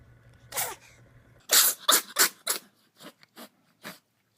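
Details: Domestic cat sneezing, from a 2016 compilation of sneezing cats: sharp, hissing bursts, a loud run of four in quick succession, then three softer, spaced sneezes, with a faint low hum at the start.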